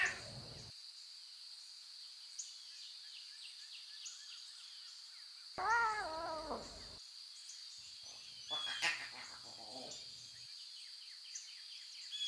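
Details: Wild lion cubs with their mothers in natural surroundings give one clear, wavering meow-like call, then a rougher, softer burst of calls, over a constant high buzzing background.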